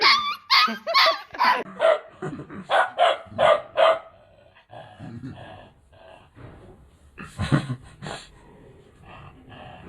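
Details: Bhotia puppy, two months old, from Mustang, giving a rapid series of sharp barks for the first four seconds, then quieter low growly sounds and a couple of final barks near the end.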